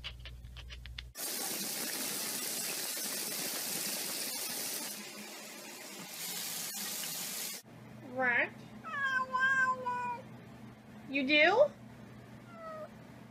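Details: Domestic cat indoors giving a run of harmonic meows, some rising and some falling, in three bursts over about four seconds. A loud rush of running tap water comes first, with a low steady hum behind the meows.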